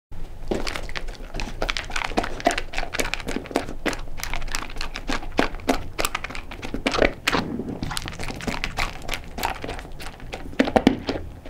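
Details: Blind cocker spaniel named Sofie crunching a load of her favourite dry kibble indoors, recorded close for ASMR; dense irregular crunches and clicks follow one another rapidly throughout, with no talking.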